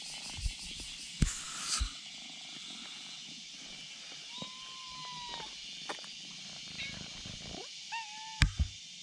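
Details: On a bridge, a kitten summons a black cat with its voice, and the black cat responds. A drawn-out level mew is followed later by a shorter one, amid scattered clicks and a constant outdoor insect hum.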